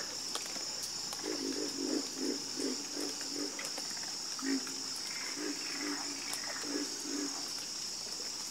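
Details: A chorus of frogs croaking: low, pulsed croaks repeat in quick bursts about twice a second, with short pauses between runs. A steady, high insect-like hum runs beneath throughout.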